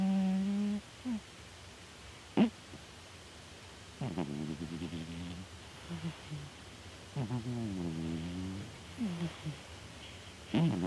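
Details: Sleeping house cat Chataro snores: low, droning, harmonic breaths last about a second each. Several come at irregular gaps, with faint soft clicks and snuffles between them in a quiet room.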